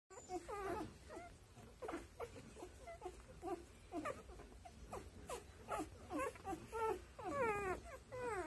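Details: Newborn pepper-and-salt Giant Schnauzer puppies whimpering and squealing: thin, wavering, rising-and-falling cries in quick overlapping bursts, several per second, steady throughout at low volume with a soft background hiss.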